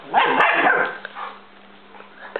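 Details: Pet dogs at play, a German Shepherd named Chief and a Basset-Lab mix named Pepe who is teasing him: a burst of loud, rough barks lasting under a second, then quiet with a low steady hum.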